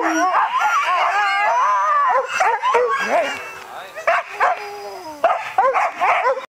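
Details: A pack of sled dogs in Norway howls and yips together in overlapping, wavering rising and falling voices.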